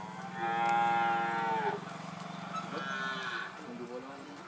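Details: Madura cattle in karapan sapi bull-race training before an event on Madura, East Java, Indonesia. A long, loud, harmonic moo lasts about 1.5 seconds, then a fainter second low call follows, over a steady low drone.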